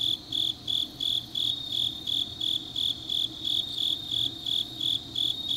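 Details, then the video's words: Deep-night autumn chorus of grass insects in Changnyeong, South Korea: evenly spaced shrill chirps about three times per second, with a faint shimmer of further insects and a low rumble underneath. "깊은밤 가을 풀벌레 소리"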